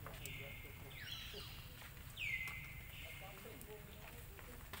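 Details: Hungry baby monkey Lucie wails at a mother that rejected nursing: two long, thin, high-pitched cries, the second starting with a sharp downward slide before leveling off, against steady low outdoor noise.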